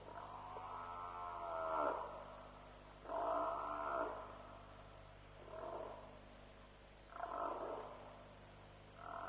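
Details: At a lion kill at Djuma at night, about 3 a.m. on 07/03/07, an African buffalo gives five hoarse, strained bawls roughly two seconds apart. Each call falls away at its end, and a faint mechanical hum continues throughout.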